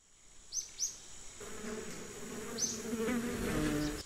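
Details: Bees buzzing for relaxation, a low hum swelling in after a quiet start and growing steadily louder, with a few short high chirps from birds early on.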